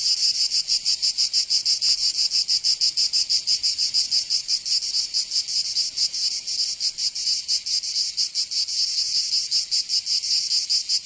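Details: Cicadas singing in summer in Provence, southern France: a loud, dense, high buzzing chorus with rapid pulsing throbs, steady throughout with no other sounds.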